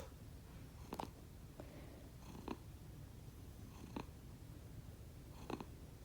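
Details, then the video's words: Sleeping house cats Konbu and Myun, rescued pets, snore softly at home; a continuous deep rumble underlies short airy puffs that recur about every one and a half seconds, different from their normal purr. "Snoring cat 猫のいびき"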